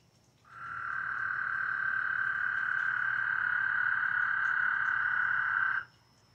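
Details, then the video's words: A frog gives one long, steady, buzzy trill lasting about five seconds at an even mid pitch, recorded on 5 May 2021. "SFPTF Ashram 121 Frog Croaks"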